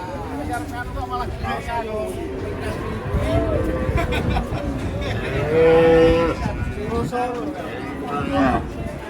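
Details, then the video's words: Cattle being unloaded from a truck, described as agitated: drawn-out harmonic moos rising and falling, one loud bellow near the middle and another near the end, over a constant crowd hum with human voices and chatter. "KUMPULAN SAPI NGAMUK TURUN DARI TRUK"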